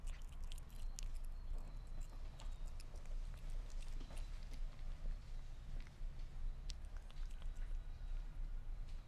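A Sphynx cat chews meat, with wet, crunchy bites and soft smacking clicks in an irregular rhythm.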